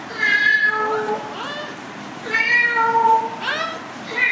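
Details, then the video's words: Domestic cat giving two long, drawn-out meows, each held steady and then bending upward at the end, with a third meow just starting; a faint low room hum runs underneath. "cat sound"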